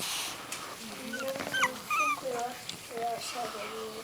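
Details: Three-week-old miniature dachshund puppies, eyes newly open, indoors: thin, wavering whimpers rise and fall in quick irregular bursts, some sliding upward, while a woman talks soothingly over them.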